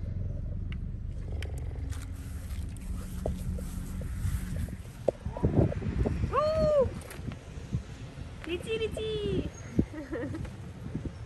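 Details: Gerda, a cheetah, would rather lie in the shade than play with a feather badminton toy or a kite. Two clear arched, bird-like chirps with ringing overtones sound midway and near the end, over low rumble and a person talking.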